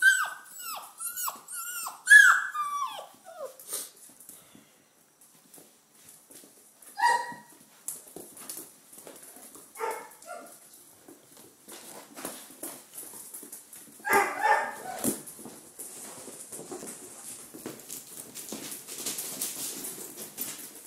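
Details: Five-week-old red rust Doberman puppies; a run of high, wavering whines and squeals at the start, then scattered short yelps and whimpers with quieter rustling between.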